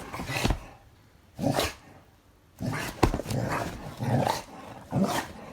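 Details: Guri, a black Labrador Retriever, plays with an older dog six years its senior, a Weimaraner. Short gruff barks and growly huffs come in separate bursts, with a brief quiet gap midway, then a quicker run of rough vocal bursts.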